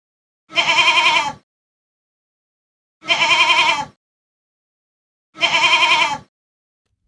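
A goat gives three wavering, nasal bleats, each nearly a second long, spaced a couple of seconds apart.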